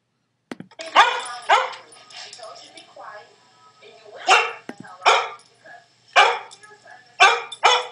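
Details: Soft-coated Wheaten Terrier puppy watching a screen, giving sharp high barks in pairs and small groups, about eight bursts with short pauses, faint background sound from the screen between barks.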